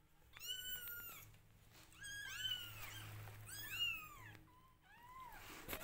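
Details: Newborn domestic kittens meowing loudly while their mother grooms them indoors: several high, harmonic cries, many arching up then falling, some overlapping, coming in bursts about a second apart, with a faint low hum beneath.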